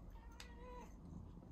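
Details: Domestic cat excited for a tuna treat, giving a single short rising-falling meow around half a second long, with a low steady hum underneath and a woman speaking nearby.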